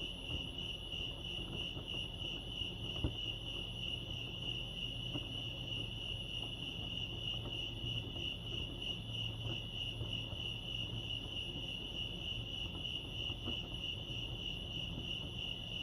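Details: Crickets chirping at Lake Arrowhead, California: a steady, high, pulsing trill that holds on one pitch throughout, with quiet low rumbling background noise beneath.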